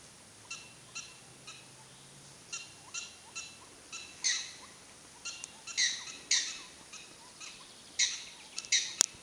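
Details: Captive prairie dogs at Wildpark Frankfurt/Oder, Germany, give bright, sharp yipping chirps in a rhythmic run, roughly two per second, growing louder and more clustered toward the end; a low hum sounds briefly early on.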